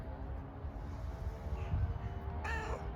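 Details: Grey furry homeless cat, hungry, gives one brief bright meow near the end after a stretch of low, rumbling outdoor noise.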